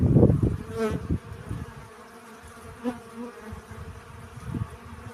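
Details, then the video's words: Honey bees collecting pollen: a loud, low buzz at the start fades out, a bee flies briefly past with a rising hum near the first second, then a softer, uneven low droning continues. "Relaxing Bee Sounds. Сбор пыльцы."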